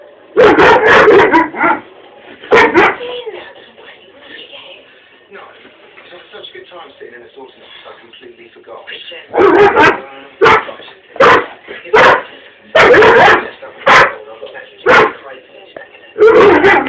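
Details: Pet dog barking excitedly at a china dog ornament indoors: loud, harsh barks in short clusters, with a long quiet gap in the middle, then a rapid run of sharp barks; music and speech in the background.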